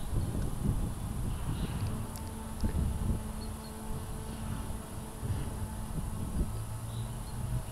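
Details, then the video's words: Red-tailed bumblebee, Bombus lapidarius, droning in low steady hums that swell and fade several times, each buzz a deep tone with fainter higher overtones, over a constant rustling, breezy outdoor background. "Bombus lapidarius"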